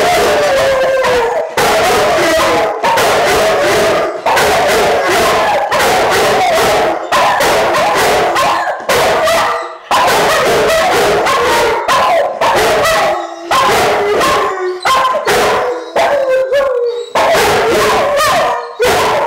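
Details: Pet dogs in a nightly group howl before sleep, a different song each night. Dense overlapping howls, yips and whimpers form a continuous chorus, with short pauses breaking the stream of sound.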